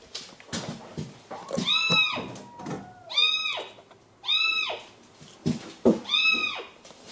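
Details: Frightened male kitten named Mugi, trapped inside the wall of an empty house due for demolition, crying before rescue; high arched meows with rich harmonics repeat about every one to one and a half seconds, with faint knocks and thumps between.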